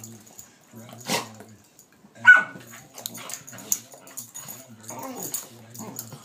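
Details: A blind nine-year-old pitbull plays with her new sixteen-week-old rottweiler brother. Short low growling bursts, a sudden sharp yelp-like bark at mid-point and scattered scuffling, with human voices heard between the dog sounds.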